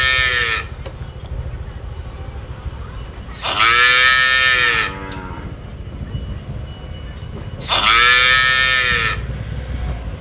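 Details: A cow in Phnom Penh, Cambodia, moos repeatedly, each a loud, rich bellow over a second long bending slightly down in pitch, roughly every four seconds over a low background rumble.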